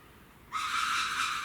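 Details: Captive red ruffed lemur at Saitama Children's Zoo, Saitama Prefecture, Japan, recorded 3 February 2018: after half a second of quiet, a sudden harsh, broadband rasping blast starts and holds steady and loud until the end.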